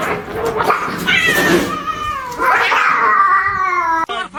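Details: Kittens meowing indoors: long, drawn-out, wavering cries that rise and fall, two extended calls separated by a short pause, with faint voices underneath.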